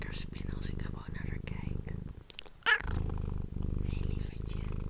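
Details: Domestic cat purring, recorded close up with an ASMR microphone: a low, rapidly pulsing rumble with a brief pause near the middle, plus soft whispering and light rustling or tapping sounds over it.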